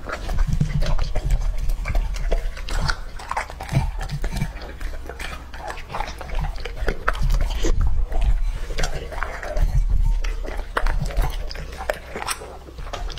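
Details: Lucky, a two-and-a-half-year-old English-type Labrador Retriever male, feeds on raw meat. There is steady wet chomping and crunching, about two to three bites a second, with deep thumps and occasional crisp clicks.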